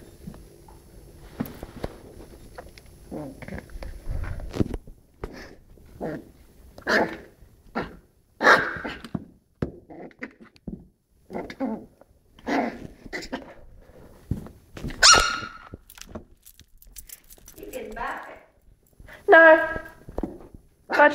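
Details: Two toy poodle puppies, Cocoa and Fudge, about five weeks old, playing together indoors, with Cocoa barking and growling: short, sharp yips and growly barks in irregular bursts, some rapid clusters, in a small quiet room.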